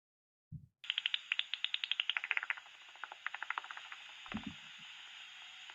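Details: Common pipistrelle (Pipistrellus pipistrellus) echolocation calls heard through a bat detector: rapid trains of dry ticks and clicks over a steady hiss, deepening when tuned near the 45–46 kHz peak frequency; slower repetition than Myotis bats.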